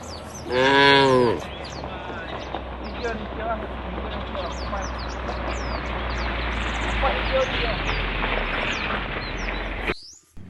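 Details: Tame cows in a herd walking toward a field at the forest edge; one loud, low harmonic moo near the start, then steady rustling and footsteps with small birds chirping and faint voices in the background.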